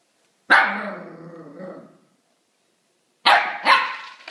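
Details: Pet dog barking at a newly gifted plush toy rabbit to invite it to play, indoors: one loud bark trailing into a fading growly tail, silence, then two sharp barks in quick succession.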